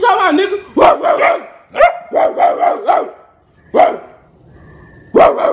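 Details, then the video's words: A pet Rottweiler barks at its owner. It gives groups of two to four quick, throaty barks, then falls silent for a moment, then gives a single louder bark near the end. A person's voice is faintly present. "pet rottweiler barking at me"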